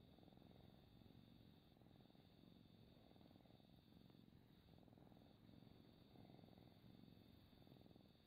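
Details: Pet cat purring indoors, recorded close for relaxation: a continuous deep, grainy rumble that swells and eases in cycles of roughly one and a half seconds as the cat breathes in and out, with no other sounds.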